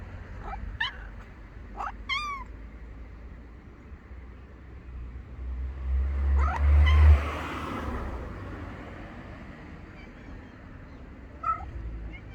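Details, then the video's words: A ginger cat gives a few short, rising-then-falling meows in quick succession early on and one more near the end, while a car passes with a low rumbling swell in the middle. "חתול ג'ינג'י משמיע קולות A Ginger cat makes sounds"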